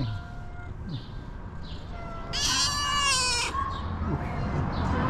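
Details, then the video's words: A female pet cat gives one drawn-out, loud, harmonic meow lasting about a second midway, with faint talk and background noise around it. "Have you ever seen a cat meowing like this ?"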